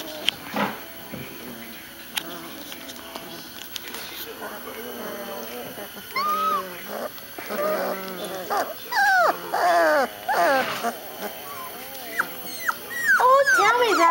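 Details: A litter of young puppies whining: high, wavering, bent whimpers in quick irregular bursts, growing denser and louder in the second half, with a person talking softly to them at the start.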